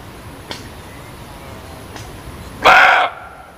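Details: Muntjac giving a single loud, hoarse bark near the end, short and harsh with a rough harmonic band, after a few faint clicks over a quiet background hiss.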